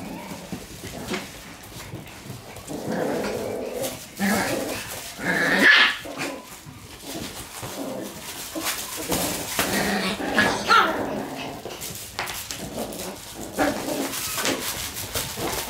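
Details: Shiba Inu puppies in a serious fight over a toy growl, yap and whine in rapid, uneven bursts.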